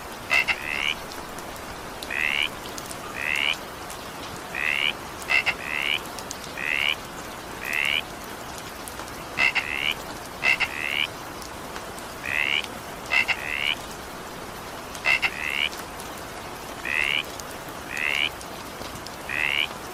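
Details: Frog calls in evening rain, a steady series of short rising double notes roughly every second, some with sharp clicky onsets, over a soft background of falling rain.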